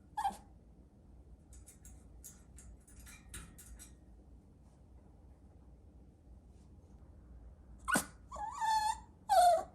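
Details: Chihuahua puppy mostly quiet apart from faint scratchy clicks, then three or four high whining yelps near the end, each dropping in pitch.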